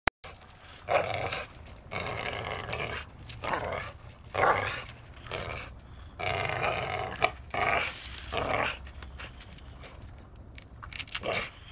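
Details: Playful dachshund biting and tugging during play, giving a run of short, raspy growls in bursts about a second apart, broken by brief quiet gaps and soft scuffling.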